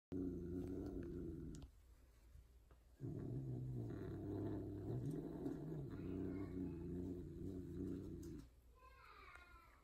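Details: Female tortie Persian cat mating indoors with a white, odd-eyed, extreme-face Persian tom during breeding: loud, drawn-out, low wavering yowls in long sustained stretches, a brief pause near two seconds, then fainter higher cries toward the end.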